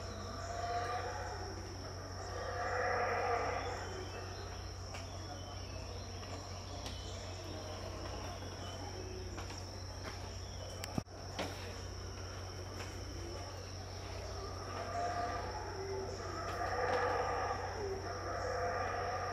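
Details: Unseen howler monkeys at Tikal, Guatemala, calling around 6am; far-off growling roars swell early on, fade, then rise again near the end, with a constant high-pitched insect drone and a brief sharp click midway.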